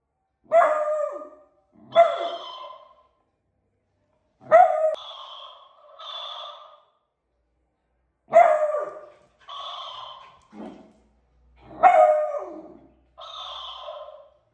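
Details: Heidi, a beagle puppy, barking at a talking cactus toy. Sharp yelping barks come every few seconds, and the toy answers each one with a higher, buzzy, electronic-sounding copy. The exchange repeats five times.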